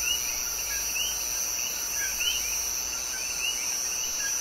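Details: Male common coquís calling at night in Puerto Rico, many brief rising two-part chirps repeated continuously and overlapping, with a steady high-pitched hiss throughout.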